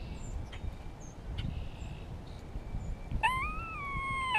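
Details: An Eastern gray squirrel in spring gives faint squeaky chirps, then a drawn-out, nasal, harmonic moan, reacting to a hawk heard close by after communicating with another squirrel.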